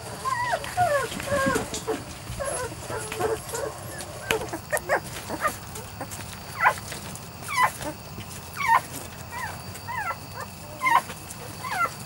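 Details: Young Weimaraner x Vizsla pups, 3-4 weeks old, from Biscuit's litter: scattered thin whimpers early, then sparse sharp yips and squeaks among clicks and bumps.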